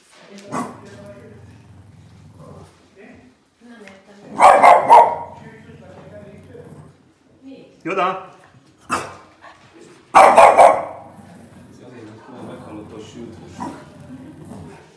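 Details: A Boston Terrier barks at the TV, two loud bursts of sharp, gruff barks several seconds apart, while a woman calls the dog in Hungarian between barks and a quiet television murmurs in the background.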